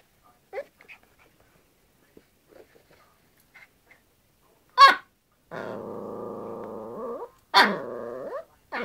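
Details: A Yorkshire Terrier playing with a hairbrush: a sharp bark near five seconds, then a long steady harmonic growl, a second bark running into a drawn-out growling whine, with faint scattered sounds before.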